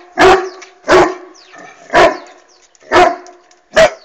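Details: Irish Wolfhound Bastian barking at a hot air balloon in flight: five deep, resonant barks spaced roughly every second, each a short heavy burst, with quiet background between.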